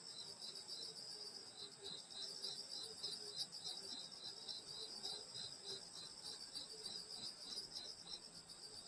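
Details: Countryside insect chorus on a summer night near a grandmother's house, a constant high ringing trill layered over rapid pulsed chirps, plus a faint lower pulsing sound in the first half.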